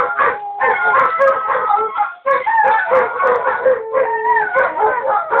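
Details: Pet wolfdogs howling as a group: overlapping drawn-out tones, some rising and falling, mixed with short yips and yelps, one brief pause, then the chorus resumes.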